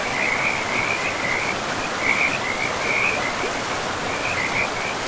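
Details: By a river deep in a pristine forest, frogs give bursts of fast trilling calls, several overlapping, over the steady hiss of flowing water.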